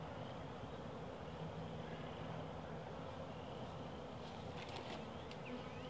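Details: Honey bees buzzing inside a hive during the first spring inspection of the season, a 62-degree day in late March; a steady low hum fills the recording with soft handling noises and a few brief clicks near the end.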